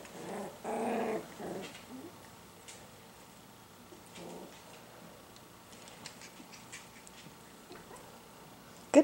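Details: Chocolate-coloured Miniature Schnauzer puppies, young and learning to express themselves with sounds, give a short low rumbling growl lasting about a second near the start, then a quiet room with faint rustles and a brief noise at the end.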